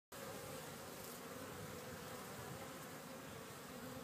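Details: Bees buzzing in a steady, dense drone that holds an unbroken low hum for about four seconds, with no other clear sounds.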